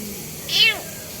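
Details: Single high, clear meow from a kitten whose paws are stuck under a vehicle, rising briefly then sliding down, over steady background hum.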